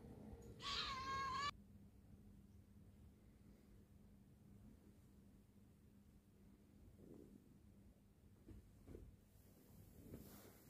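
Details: A Scottish Fold cat gives one short, high, clear meow while playing, apparently telling its owner it has had enough, followed by quiet room sounds.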